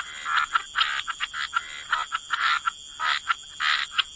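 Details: Frogs by the water croaking in clear separate bursts, each a short rasping pulse, several per second in an uneven rhythm, with a steady high-pitched hum present throughout.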